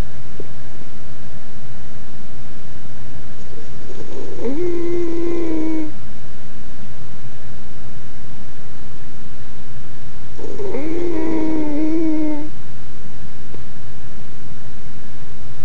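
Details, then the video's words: Jack Russell Terrier puppy asleep, giving two long nasal snores about six seconds apart, each a drawn-out whistling wheeze lasting nearly two seconds, against a constant low background hum indoors. "My Jack Russell Terrier Dog Snoring"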